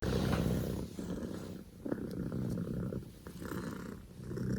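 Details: Scottish Fold kitten named Poko J, a male born 15 October 2019, purring loudly like an engine; a steady low rumble broken into breathing phrases with brief pauses and faint clicks.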